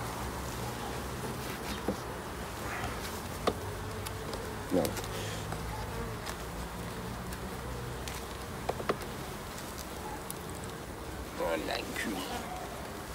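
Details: Honey bees during an end-of-summer hive inspection on 22 September; a steady low buzzing hum runs throughout, with clicks and handling knocks and a man speaking French at times.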